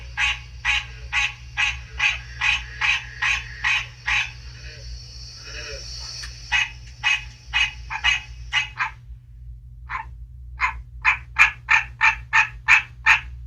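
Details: Newly mature captive male American green tree frog answering played green tree frog calls indoors before spring: brisk nasal honking notes about three per second, a short gap near the end, then a burst of louder honks; faint high whine and low hum.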